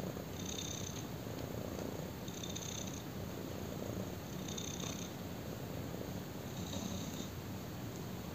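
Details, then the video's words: Black kitten purring while lying on a person: a steady low rumbling purr throughout, with faint rhythmic breathy swells roughly every two seconds as it inhales and exhales, in a quiet indoor setting. "BLACK KITTEN PURRS WHILE LYING ON ME!"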